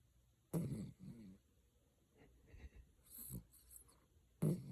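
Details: Chocolate poodle snoring indoors: a loud, low, raspy snorting breath at the start and another near the end, with soft breathy rustles in between.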